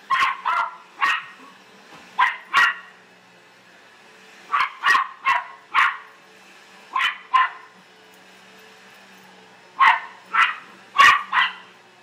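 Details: Australian silky terrier indoors barking frantically at a vacuum cleaner: about eighteen sharp barks in rapid clusters of two to four, with brief gaps between bursts and a low steady hum behind.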